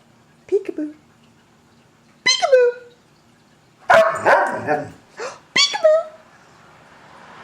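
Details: Siberian Husky, almost 14 years old, indoors, reacting to a person playing peek-a-boo: four drawn-out whining howls that slide downward in pitch, separated by pauses of one to two seconds, with a person's voice between them.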